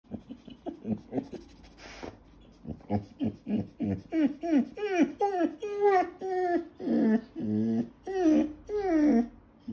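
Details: Eurasier puppy complaining loudly after being told "leave it" at its food bowl: a rapid series of short whiny moans and yowls, each bending up then down in pitch, growing longer and more drawn-out toward the end.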